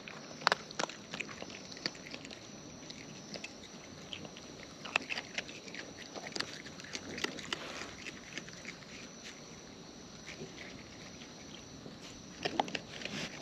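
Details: Close-up eating sounds from wild raccoons feeding: crisp crunches and clicky bites come every second or so, some in quick clusters, over a quiet, even background hiss.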